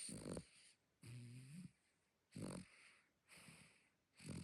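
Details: Small dog asleep and snoring loudly: rhythmic cycles roughly every second, each a rough, raspy snort followed by a lower, droning, tonal breath, repeated about four times in a quiet room.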